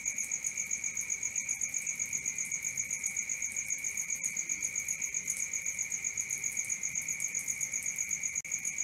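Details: Night crickets chirping without a break, a bright high-pitched trill pulsing roughly four times per second over a softer lower hum, steady and unchanging throughout.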